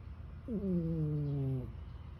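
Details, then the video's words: Tired domestic cat asleep and snoring, described as sounding like a human: one drawn-out, tonal snore that starts with a short rise, then slides slowly downward for over a second over a low background hum. "his tired catch jerry last night snoring like a human"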